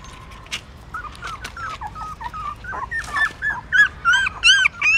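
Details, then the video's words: Newborn puppies suckling their mother's milk in the stupa of a pagoda in Siem Reap, Cambodia, hungry; faint squeaks at first, then high whining whimpers grow louder and more frequent, overlapping in quick succession toward the end. "Amazing puppies sucking mom milk that is natural feeding"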